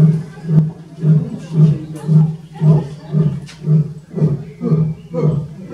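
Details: Male Asiatic lion Radja, born 2005, roaring at Zoo Zürich, Switzerland, on 18 May 2018 while captive females groom nearby: a run of deep grunting pulses about every half second, ten or so, fading toward the end, with visitors talking.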